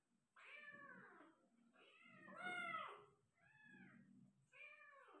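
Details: Persian cat delivering five kittens indoors: four drawn-out, arching meows in close succession, the second strongest and slightly strained, each bending up then down, with low muffled shuffling beneath.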